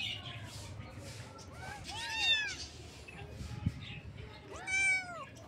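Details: Kitten meowing: two drawn-out, arched, rising-then-falling meows about three seconds apart, the second longer, over a steady murmur of faint background noise.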